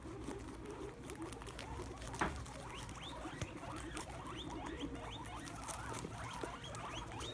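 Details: Several guinea pigs, excited by a plate of sprouts set on the ground, gather round and eat while squealing: many quick upward-sweeping squeaks rise and overlap throughout, over steady chewing and rustling patter and one sharp knock.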